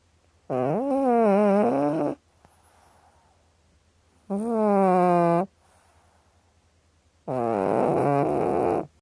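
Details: Cat snoring with three long, droning, rasping breaths that waver slightly in pitch, each lasting over a second and repeating roughly every three seconds, with a faint constant low hum behind.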